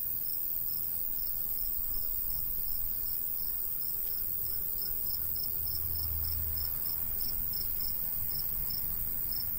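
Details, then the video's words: Cricket in summer countryside by a golden wheat field, chirping in steady high-pitched pulses about three per second, with a low rumble of light breeze underneath throughout. "Countryside/cricket sounds"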